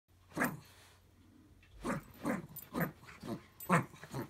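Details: Small Jack Russell Terrier growling during a daily tug-of-war game: one gruff burst, a short pause, then a run of short, rough growling pulses about every half second.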